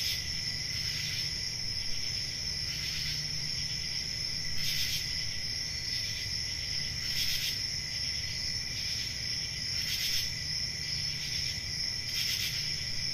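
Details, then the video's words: Crickets on a peaceful country summer night, with forest night ambience: a constant high shrill trill plus bright louder pulses repeating regularly about every two and a half seconds, over a low steady rumble. "10 Hours Relaxing Cricket Sounds For Sleep"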